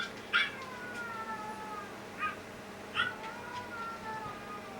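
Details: Older sister dog at home answering the younger dog's cry with a howl, in a household of Yorkshire terriers and a Maltese. Long, steady, whining howl notes are held for over a second each, broken by short sharp yelps.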